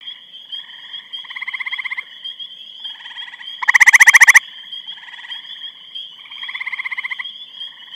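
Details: Grey treefrog calling in Eastham, Massachusetts on 23 May 2012: one loud close musical trill of rapid pulses lasting under a second, with fainter trills from other treefrogs around it and a steady high insect-like tone throughout.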